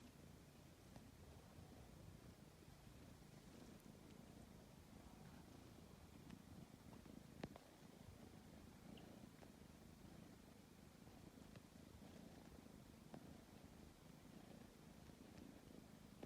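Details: Tabby cat purring while kneading before falling asleep, a steady low rumbling purr filling the whole stretch, with occasional soft clicks and taps from the kneading paws.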